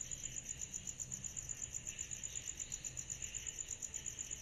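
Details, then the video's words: Cicadas on a summer night giving a bright, rapidly throbbing high trill at a steady rhythm, with a gentle lower hiss and faint low hum. "Summer Night Cicadas Sound Effect"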